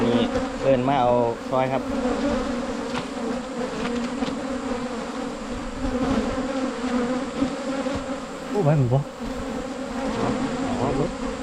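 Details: Humming of Asian honey bees on a 2022 season honey hunt, a constant low buzz running the whole time, interrupted by short bursts of a man talking at the beginning and near the end.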